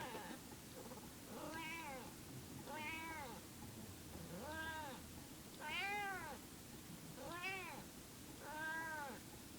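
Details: Indoor female house cat, perhaps in heat, calling in long arched meows repeated roughly every one and a half seconds, each swelling then dropping in pitch, with low room noise beneath.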